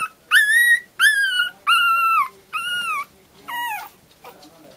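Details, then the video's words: Pomeranian puppies howling together. Five drawn-out, clear, tonal howls each last about half a second. They follow one another roughly every three-quarters of a second. Each holds a steady pitch, then slides downward, and the last ones fade weaker. "Pomeranian puppies song contest contribution"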